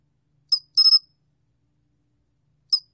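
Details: Pine cricket calling in a clean, quiet recording: a short high buzzy pulse, then a tight group of three pulses, with another short pulse beginning after a long pause.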